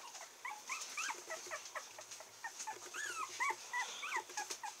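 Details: A male red Toy Poodle puppy, 28 days old, from Kochi, Japan, filmed on 16 July, whimpers in a string of thin, high squeaky yips. Each rises and falls, coming about three per second in uneven bursts.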